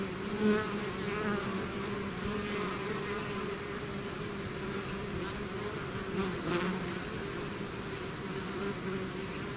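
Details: Natural swarm of bees outside its hive: an unbroken low droning hum, with brief close fly-bys near the start and around six seconds.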